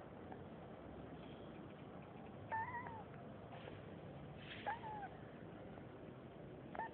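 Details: Kitten named Rocket squeaking while dreaming in its sleep: a few short thin squeaks with quick rising-then-falling pitch, spaced about two seconds apart over a steady background hiss.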